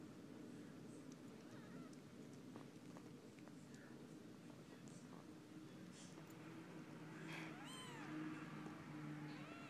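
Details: Four-day-old kittens being bathed by their mothers, giving thin high arched squeaks in quick bursts, clustered mostly after seven seconds, over a steady low hum.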